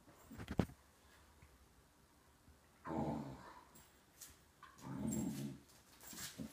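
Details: Six-month-old Teckle (Dachshund) and four-year-old German Shorthaired Pointer playing together indoors; two low, rumbling growls rise and fade around the third and fifth seconds, with a sharp knock near the start and scuffling between.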